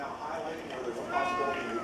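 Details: A female Siamese cat that usually makes quacking sounds instead of meowing gives a drawn-out, wavering meow that rises and then falls, over a person's talking voice.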